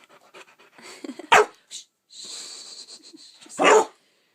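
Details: A two-month-old male St. Bernard puppy with hiccups, on a bed, lets out two abrupt, gruff barks about two seconds apart, with quiet huffing breaths and a person speaking between them.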